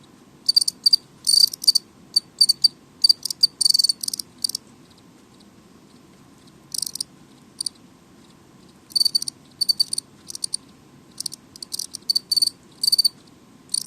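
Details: Noisy indoor house cricket chirping: clusters of sharp, high-pitched trilled pulses repeated rapidly, broken by gaps of one to three seconds of near quiet; steady low room hum in the background.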